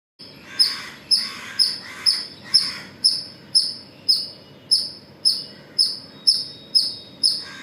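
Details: Squirrel calling in the morning hours at Pozhichalur: sharp, high, clipped chirps repeated about twice a second, roughly fourteen in a steady series, with a faint murmur of background noise.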